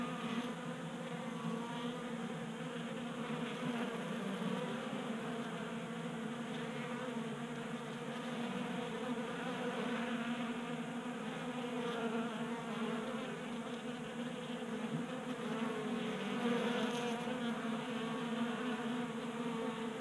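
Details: Swarm of honey bees at a tabletop 3D printed feeder in a Colorado garage during a warm January spell; an unbroken chorus of buzzing wings, droning and slightly wavering as individual bees come and go.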